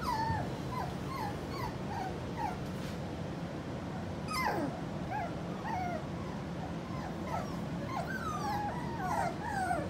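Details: A litter of four-week-old pups belonging to Skittles making a steady stream of small, thin squeaks and whimpers, many brief rising and falling peeps over a low background hum.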